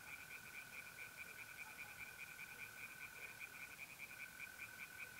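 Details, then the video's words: Pond-dwelling tree frogs calling by night in April, north-eastern Italy, give a quick, regular string of pulsed croaks, while trilling mole crickets hum steadily underneath with one short gap. "relaxing singing tree frogs in pond"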